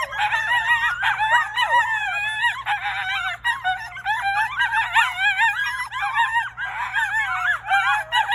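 Coyotes in a group chorus, overlapping wavering howls broken by quick high yips.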